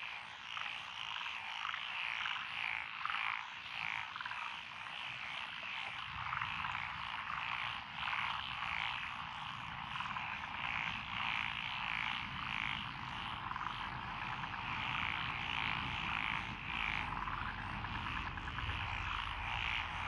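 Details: Frogs calling in lotus rice paddies, Echizen, Fukui, Japan, 12 June 2021, in a steady chorus of throaty croaks repeating roughly every half second. A low rumble joins the background from about six seconds onward.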